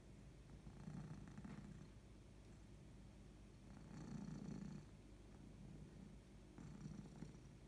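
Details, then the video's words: Domestic cat purring and yawning, a soft low rumbling purr in three swelling bouts around one, four and seven seconds, steady and quiet with a faint hiss of room noise. "Cat just purring (and yawning)"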